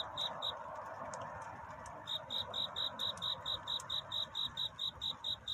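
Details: Cricket courtship song on a night near dawn: after two opening chirps and a short pause, sharp, high chirps resume and repeat steadily, about two per second, over a faint background hum.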